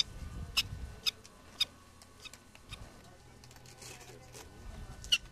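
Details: Colony prairie dog communicating: three quick, high chirps in a row, then a long gap with faint low rumbling and murmur, and a final bright chirp near the end.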